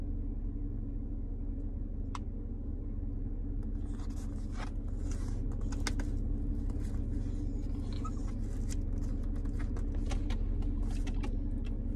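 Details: Steady low engine rumble inside a car, with scattered clicks, scrapes and rustling; no animal sound is heard.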